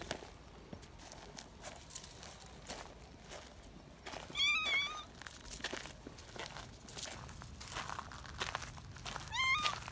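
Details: Young community cats, excited while being held, give two shrill, high meows about five seconds apart, each wavering and falling slightly, over rustling and handling noise.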